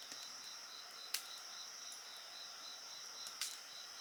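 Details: Insect voices over a bonfire, a rhythmic pulsing trill and steady high-pitched ringing, broken by two loud crackling bursts from the flames.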